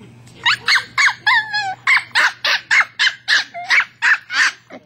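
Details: West Highland White Terrier named Bailey, a pet, yapping at his toy ball in a fast, fairly even string of short, bright barks, about a dozen in under five seconds, with one longer whining note early on.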